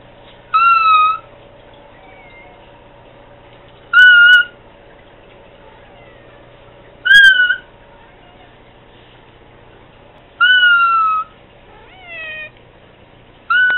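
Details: A cat, one of a household's pets, meowing to Candy: steady, level, harmonic meows recurring about every three seconds, interspersed with quieter rising chirps, over a faint humming room background.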